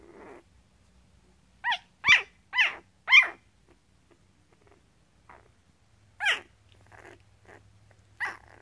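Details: One-week-old Goldendoodle puppy wearing a red collar, from a litter of eight males and four females born April 19th 2014 to Goldendoodle Emmy and Poodle Mac. It gives high squeaky whimpers, a cluster of four quick rising-falling cries, then scattered fainter squeaks.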